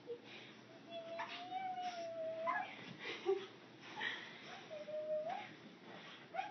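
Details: Pet teacup Chihuahua Reeses, a female, greeting her owner after she gets home: a long, steady, wavering whine held for nearly two seconds, then a shorter whine that dips at its end, with faint snuffles between.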